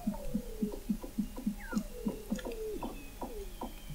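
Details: Weddell seals under sea ice in McMurdo Sound, Antarctica, captured in November 2017 at 21 m depth: rapid low knocking pulses, about three per second, beneath overlapping descending whistles and sweeping chirps from several seals.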